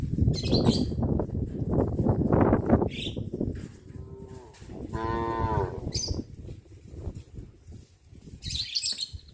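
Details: Herd of village cows heading in procession along a country road to pasture in the morning; a single mid-length moo rises out of a busy, noisy background with scattered high chirps.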